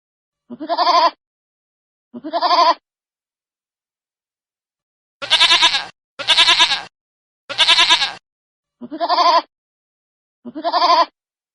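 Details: Baby goats call in a series of seven bleats: tremulous, wavering bleats at the start and end, and three louder, rougher, more strained bleats in quick succession in the middle.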